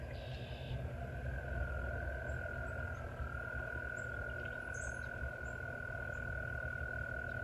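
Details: Frogs in a valley, heard on a walk, keep up a steady, unbroken high trill that drones on without pause over a deep background rumble.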